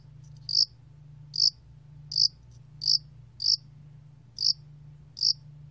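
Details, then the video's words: Song of the mountain spotted cricket, from Korea's National Institute of Biological Resources, 2020. Shrill, brief chirps come roughly every 0.7 to 1 second, seven in all, with a constant low background hum. "야산알락귀뚜라미, 여러번 듣기, 곤충소리"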